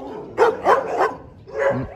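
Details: Large-kennel Dobermann barking in a quick cluster of three sharp, loud barks, then a pause and a lower, rougher bark with a short whine.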